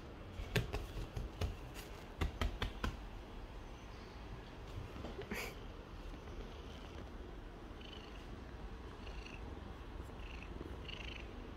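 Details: A seal point Siamese cat purrs with a steady, low, rumbling vibration while being petted, a sign of contentment and a wish for attention.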